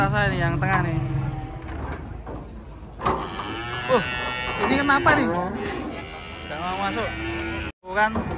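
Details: Giant cattle arriving and coming down from a truck in the morning; deep, drawn-out harmonic moos with a low rumbling base, overlapped by people talking and brief clattering knocks near the end.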